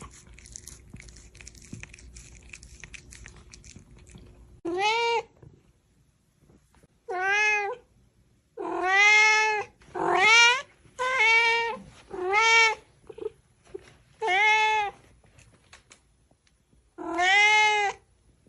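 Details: Angry domestic cat meowing indoors: eight loud, drawn-out, harmonic-rich meows, each about a second long, spaced every one to two seconds after a quiet start, with a woman speaking Chinese afterwards.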